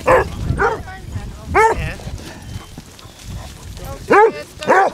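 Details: Pack of 16 Basset Hounds walking on Marlborough Downs, Wiltshire, in December: scattered deep, harmonic barks and bays in short bursts, separated by gaps, with outdoor background and a woman's voice nearby.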